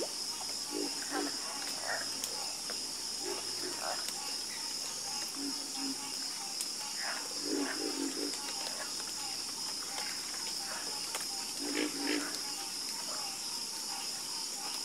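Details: Night frog chorus of low, clipped croaks in uneven groups, some louder calls standing out near the end, with a steady high insect hum behind.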